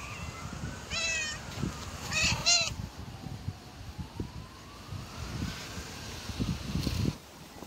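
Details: Street-living stray cats: a hungry mother cat with three kittens. Two short, harmonic meows in quick succession, the second longer and wavering, over low traffic rumble and a faint siren-like tone.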